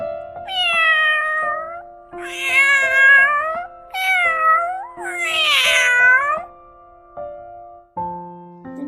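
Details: Domestic cat giving four drawn-out meows, each rising then falling in pitch and spaced about a second apart, over steady soft background music with sustained piano-like tones.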